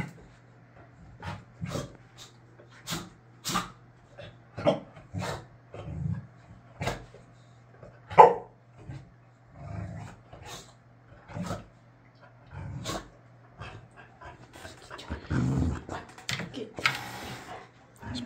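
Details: Layla the Boxer throws a tantrum because she wants a beer bottle cap and cannot have it, producing a long run of repeated short barks and low grumbling growls, with rustling near the end.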